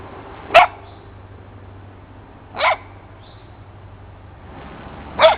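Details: Basset Hound named Minnie barking while playing with a cat named Marti: three short, sharp barks spaced about two seconds apart over a quiet indoor background.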